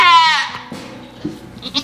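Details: A miniature goat named Blossom, mid-delivery, gives a strong, strained bleat in the first half-second, fading into quiet shuffling and soft farm background.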